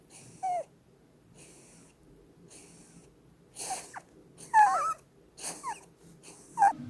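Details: Sleeping female Holland Lop rabbit snoring, her flat face given as the cause: soft wheezy breaths, then louder snores with squeaky, whistle-like rising and falling tones, irregularly spaced.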